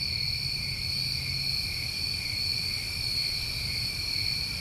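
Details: A constant, even-pitched cricket chorus from a New England summer, several high tones droning together without pause or change, over light low background noise.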